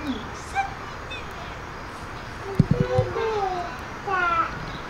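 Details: Geladas, including a baby and young, give short, harsh, voiced calls, some sliding down in pitch, among human voices at Colchester Zoo on 19 December 2017 around 12:39 pm.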